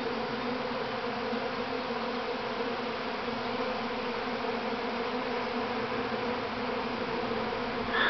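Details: Thousands of honey bees swarming from their mother hive at Grass Lake Sanctuary, Manchester, Michigan, May 13, 2012, producing a continuous even drone with layered humming tones, rising in loudness with a rustle at the very end.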